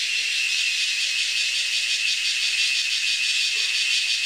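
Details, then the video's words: Male cicada producing an unbroken, even, high-pitched shrill drone with a fine fast pulsing texture, steady in loudness from start to finish. "sounds of the cicada/male cicada make their sound"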